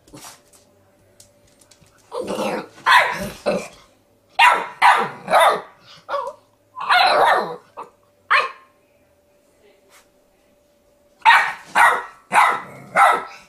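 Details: Puppy Milo barking at the dog in the mirror: rapid bursts of shrill, excited yaps in quick clusters, a short pause, then another run of four sharp barks.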